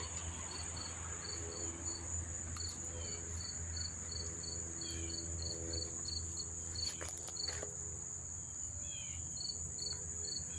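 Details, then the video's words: Numerous crickets calling near the Monmouth Park racetrack in New Jersey in early September: an unbroken shrill trill with bursts of quick chirps that pause and resume, a few faint clicks and a steady low drone behind. "sound of the crickets chirping"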